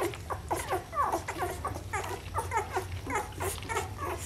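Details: Rhodesian Ridgeback puppies in a litter, indoors, giving many short overlapping whimpers and squeaks, some rising and falling, in a busy, continuous chorus with a low hum beneath.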